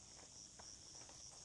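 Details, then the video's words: Crickets around a countryside spot near home in Algeria, heard during a walk with a dog; a faint, steady, high-pitched trill in short repeated pulses, with soft footsteps below. "Vous entendez les grillons autour de moi?"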